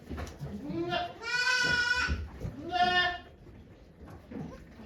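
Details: Okayu the goat in labour with twins at Yoshigake Farm, 3 May 2023, watched by volunteers: a long, quavering nasal bleat followed by a shorter one, with soft voices and low farm noise in between.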